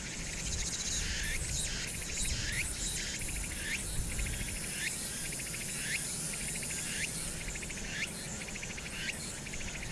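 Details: Cicada song on Hwangnyeongsan, summer night of 1 August 2019, with city noise behind. Rhythmic rising buzzy sweeps repeat about every half second in a steady series, over continuous high hiss and a low traffic-like hum.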